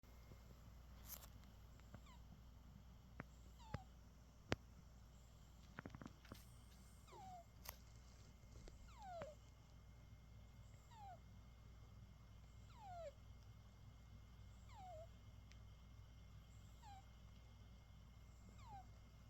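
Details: British Shorthair cat fast asleep after playing all day, snoring with thin, squeaky whistled notes that slide downward, repeating about every two seconds with each breath, over a low steady hum and a few sharp clicks.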